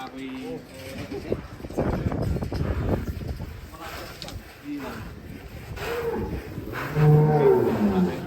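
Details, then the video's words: Angry cow escaping its pen gives a deep, hoarse moo near the end, after stretches of trampling and shuffling noise, while men chat in the background. "SAPI NGAMUK SEREM KELUAR KANDANG"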